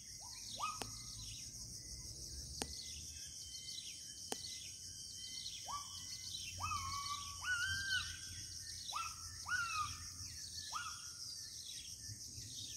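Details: Gibbons in the deep interior forest of Kalimantan: a run of about ten rising, upswept whooping notes, some with a hooked top, spaced roughly a second apart, over a steady high insect drone and a few sharp clicks.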